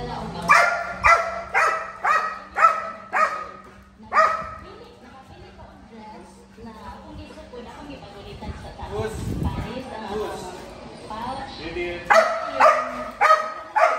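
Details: Belgian Malinois barking during personal protection training: a fast run of about seven sharp barks roughly every half second, a quieter stretch with a steady low hum and voices, then four more rapid barks at the end.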